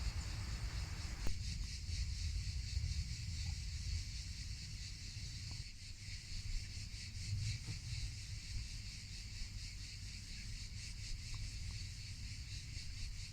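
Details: Cicadas in Provence on a hot summer afternoon, heard during a meditation: a steady, high, rhythmic pulsing buzz that runs unbroken throughout, over a constant low wind rumble.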